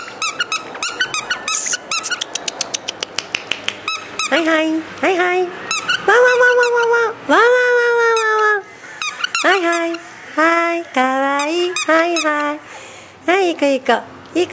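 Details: A male Maltese puppy born 29 January 2012 gives high, squeaky yips and whining barks while a person chatters and claps nearby.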